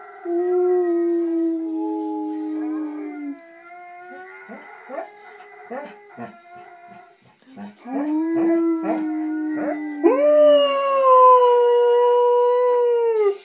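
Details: A male pet Alaskan Malamute "sings" along to a favourite video playing nearby, howling in long, wavering tones that slide up and down in pitch.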